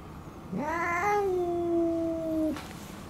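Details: Retired boss cat that long ruled a residential neighbourhood, now kept indoors in end-of-life care; a single loud, drawn-out yowl rises sharply, then holds a steady wavering tone for about two seconds before cutting off abruptly.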